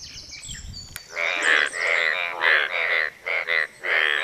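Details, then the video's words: Mating calls of Asian bullfrogs advertising for a mate. A click, then a series of harsh, vibrating, bleat-like croaks, each under half a second, delivered in quick succession with short gaps. "Asian Bullfrog's mating calls."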